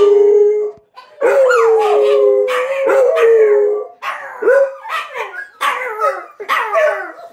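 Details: Dogs set off by the noontime sirens: one drawn-out howl, then a chorus of overlapping wavering howls with rising yelps and barky onsets coming in short bursts.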